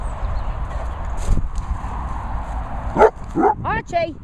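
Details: Dog at a training and boarding kennels in the Worcestershire countryside, England, giving a few sharp, rising yelps near the end. A person speaks softly throughout, with low background rumble.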